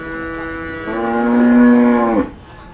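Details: Cattle at the Kliwonan livestock market in Kediri, Indonesia; after a soft start, one strong bellowing moo holds steady for over a second at low pitch and then cuts off abruptly, leaving quiet market ambience.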